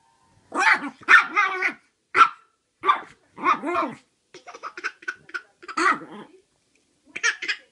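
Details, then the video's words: Chihuahua barking from a bed indoors at Christmas while a baby boy in a Santa hat laughs at it; rapid high yappy barks in quick runs, mixed with the child's bursts of giggling and short pauses. "Adorable Santa baby laughs at barking dog"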